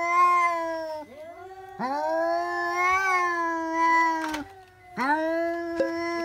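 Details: Domestic cats yowling at a cat outdoors: repeated loud drawn-out screams, each starting with a rising swoop and holding a wavering harmonic-rich tone, with a few thumps between cries.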